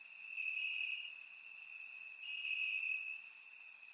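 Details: Crickets chirping in grass on a warm summer night in Bulgaria, surround-microphone recording: a steady high trill in long sustained stretches with short breaks, overlaid by faint higher ticking pulses from other insects.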